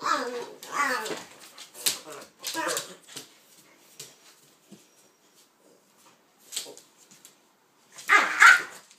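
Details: Two dogs, a pitbull and a King Charles spaniel named Kaiser and Viki, romp in play, giving quick rapid barks and growly yaps in a room, then a final loud burst after a short lull.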